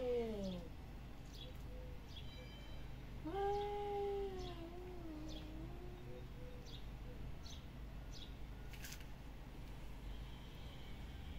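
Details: Domestic cat uttering a short descending cry at the start, then a longer wavering meow that rises and falls before trailing off, with scattered clicks and a constant low hum.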